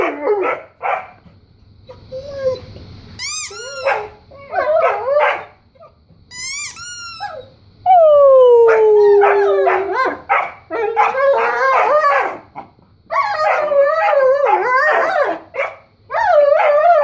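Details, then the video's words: Weimaraner and Old English Sheepdog playing, stirred up by squeaky noises: scattered short yips, high sweeping squeaks, a loud descending squeal near the middle, then rapid wavering whines and yelps in clustered bursts. "Weimaraner and Old English sheepdog Funny Noises"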